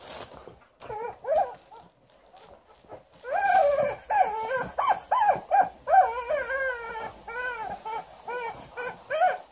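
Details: Alaskan Malamute Liza vocalising angrily at a new chicken toy: after a quiet start, a dense burst of wavering, harmonic whine-barks in quick succession, some drawn out and yodelled, with faint high squeaks.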